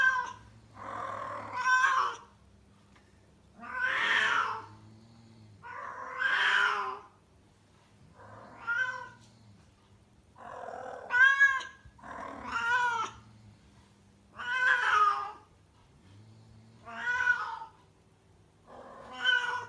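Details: Kuro, a rescued female house cat in heat in Tendo, Yamagata Prefecture, Japan, yowls indoors: loud, drawn-out, bending cries roughly every two seconds over a low steady hum.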